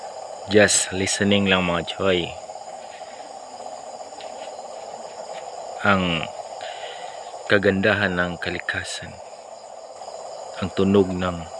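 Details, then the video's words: Frogs calling at night near a house: clusters of short, low, nasal croaks separated by quiet gaps, set against continuous insect buzzing. "Sound of frogs so amazing nearby my house (tunog ng palaka)"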